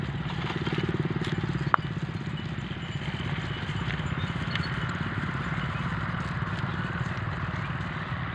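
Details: A steady engine rumble, like an idling motorcycle, fills the scene, with one sharp click and faint outdoor clatter.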